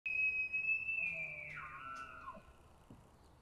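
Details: During the autumn rut in Montana, an elk bugles: a long high whistle that holds steady, then slides down into a lower tone.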